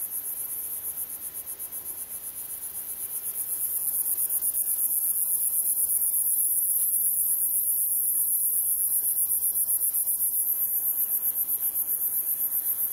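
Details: A male gladiator meadow katydid (Orchelimum gladiator) sings in the Oldman River valley, Lethbridge, Alberta, a continuous, very high, hissing buzz laced with rapid ticking pulses.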